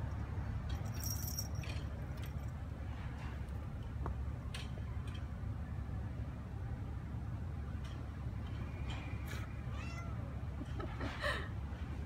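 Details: Ao, a neutered seven-month-old Ragdoll cat, roams a quiet new apartment complex in Korea on an outdoor walk; faint, short meows rise near the end over a steady low traffic hum, rustling and scattered clicks.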